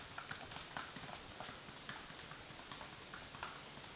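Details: Carpintero, a Paso Fino horse, gives quick clip-clop hoofbeats: sharp, light taps in small clusters, repeating steadily across the stretch against a low background hum.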